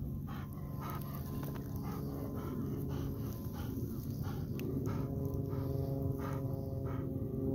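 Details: Rapid panting from a Golden Retriever out in a rice field used as a running ground; short breathy puffs repeat about three times a second against a steady deep hum.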